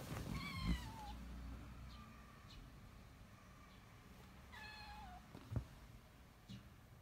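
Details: A kitten, fascinated by some decorations, gives two high, drawn-out meows that slide downward, as if asking for them to be taken down for it.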